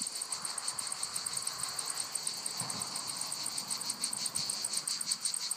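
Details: Cicadas singing among lavender fields in Provence, France. They make a dense, shrill buzzing chorus with quick regular pulses, steady throughout, over a soft low background hum.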